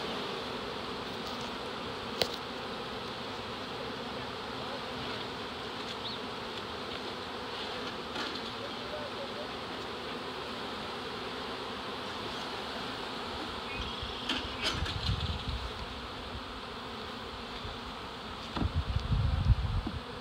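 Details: Honey bee swarm, nearly 7 lbs of bees in an early-season reproductive swarm captured in Dale County, Alabama, giving a continuous even hum for twenty seconds, with a couple of sharp clicks and low rumbling handling noise toward the end.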